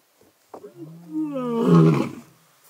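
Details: An old male lion and his son roar in unison at night in Sabi Sands, within meters of a safari vehicle, a deep rumbling moan that swells into a loud, harsh bellow.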